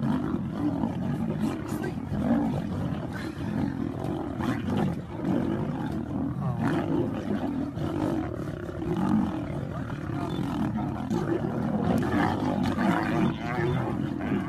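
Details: Lion pride ganging up on a lioness during a fight: dense, continuous low growling and roaring snarls throughout, rough and rumbling, with a person exclaiming nearby.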